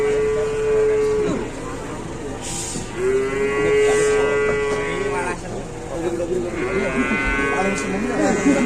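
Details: Large cow lying helpless on the ground, unable to stand, at an Indonesian cattle market; three drawn-out tonal moos with rich harmonics follow one another, with people chatting nearby.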